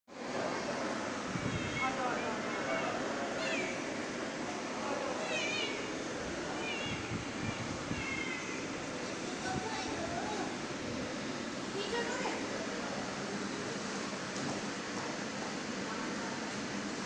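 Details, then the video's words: Cats given cat food at dinner time during breaks; several short rising-and-falling meows come through a steady, surf-like rush of broadband noise, with voices now and then. "Cat Dinner"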